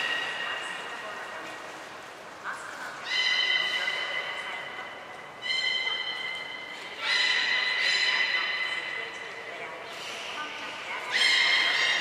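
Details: Training session with captive belugas Mirai and Niko, Port of Nagoya Public Aquarium, Japan, 20 February 2021: five bursts of bright, stacked squeals and whinny-like cries, some rising, over a soft hum of voices.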